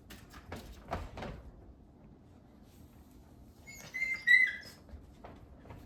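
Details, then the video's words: Eight-week-old Labrador Retriever puppies from a rescue, wrestling indoors; after soft thumps and scuffles, a brief high squealing whine rises and bends for about half a second, then quiet room tone returns. "8-week-old puppies Gray, Yellow, and Green are a-wrassling"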